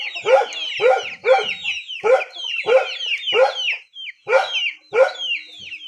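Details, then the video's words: Rural dog barking steadily, roughly one bark every two thirds of a second with a brief pause near the middle, while high descending peeps, like chicks, sound between and over the barks. "Sound of poor dog in rural"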